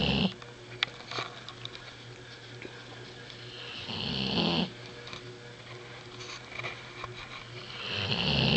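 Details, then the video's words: Sleeping American Bulldog snoring in a small room, a quieter stretch with one clear rasping snore mid-clip and another building at the end, soft raspy breathing and low hum between them. "American Bulldog Snoring"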